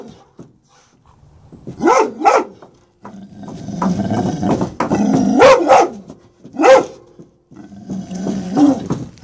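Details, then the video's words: Presa Canario Major, protective of his home and truck, play attacking after reunion with son Roscoe, Atlanta, January 2014; paired sharp barks, then rough low growling rumble and further single barks, irregularly spaced. "Presa Canario Attacking"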